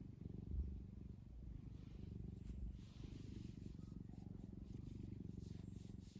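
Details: Deep, pulsing purr of a cat named Kkumi kneading a soft blanket, the rumble steady and unbroken throughout, slightly louder in the first half-second.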